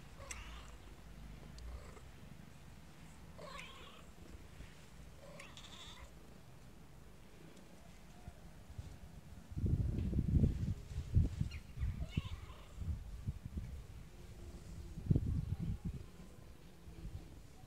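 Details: Little kittens meowing: a few short, faint, harmonic mews spaced a couple of seconds apart early on, followed by loud low thumps and rustling handling noise in the second half.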